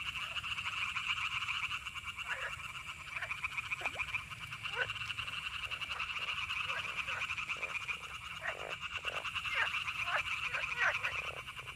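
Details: Frogs croaking in summer out in nature, short downward-sweeping croaks scattered irregularly through the clip, over a steady shrill cicada buzz that runs the whole time.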